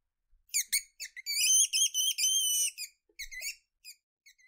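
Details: Weasel squeaking in a quiet setting: a burst of high, thin, harmonic squeaks, first short and clipped, then longer drawn-out squeals strung together, trailing off into a few brief scattered peeps with silence between.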